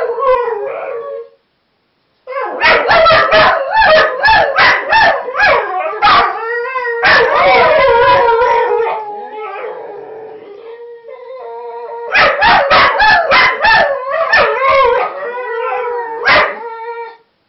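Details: Competing whippets sing as a group, a dense chorus of quavering howls laced with rapid yips and barks, one steady drawn-out tone holding underneath, after a short pause near the start.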